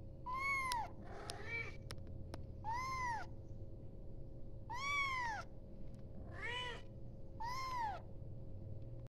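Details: Kitten calling for its mother: loud, high, arched meows repeated roughly every two seconds, each rising then falling, over a steady low electrical hum.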